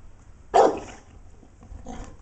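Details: Two dogs, Arnie and Sam, a Dogue de Bordeaux and a golden retriever, play fighting; one sharp, loud bark rings out, followed by quieter, rough, growly vocal noises about a second and a half later.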